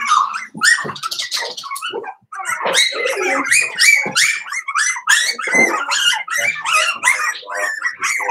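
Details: Five-week-old Cavalier King Charles Spaniel puppies from Daisy's litter in their indoor puppy pen: a dense chorus of high, wavering whines and squeaky yelps, overlapping and nearly continuous after a brief pause.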